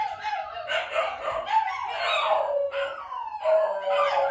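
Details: Shiba Inu howling strongly from its room, an unusual cry: long wavering tones that rise and slide downward, three or four drawn-out howls following one another with brief breaks, loud and clear with no other sounds.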